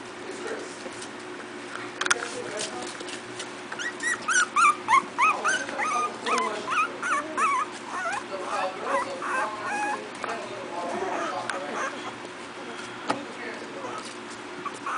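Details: Four-week-old Miniature Pinscher puppies from a new litter playing, giving rapid high squeaky whimpers and yips in a busy burst from about four to eleven seconds, over a steady low hum and faint voices.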